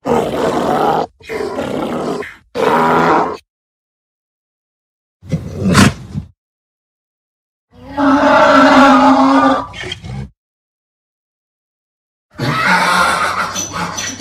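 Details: Donkey, braying when angry or afraid: separated bursts of harsh, noisy, groaning honks with gaps of silence, one longer drawn-out bray in the middle carrying a low steady tone.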